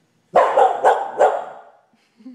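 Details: Pet dog at home, making noise for no clear reason, lets out a quick run of four harsh, harmonic barks in about one second, trailing off, with a person talking to it around the barks.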